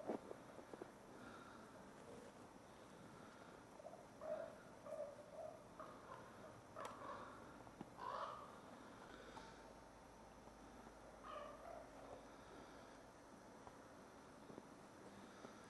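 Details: Captive ambassador gray wolves during daily dominance interactions, 15 December 2008: soft, short tonal whines and whimpers come at scattered intervals over a steady background hiss, with occasional scuffling footsteps.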